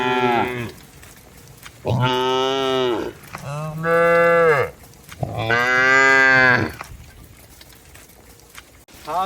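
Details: Cattle being herded home to the shed in heavy rain in the countryside, lowing repeatedly: three loud, drawn-out harmonic moos of one to one and a half seconds each, rising then falling, with faint calls at the edges.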